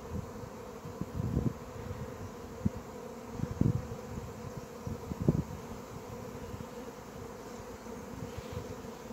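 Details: Thousands of honey bees swarming around a person in a piazza in central Pisa, Italy, beside the Church of the Cavalieri di Santo Stefano, just after nine in the morning; a steady, dense, low droning hum with occasional louder thuds.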